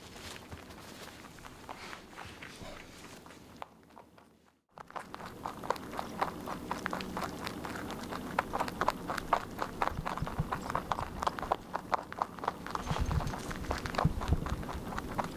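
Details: Pet rabbit steadily eating its food, crisp crunchy chewing clicks repeated rapidly, about three or four per second, after a brief quiet gap early on.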